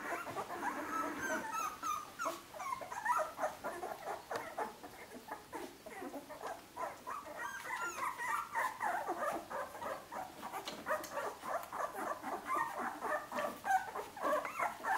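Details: Siuwkje's puppies at 15 days old, starting to walk and explore: a long run of soft, overlapping whines and squeaks, mostly short and rapid with a few drawn-out wavering cries, plus light shuffling and rustling throughout.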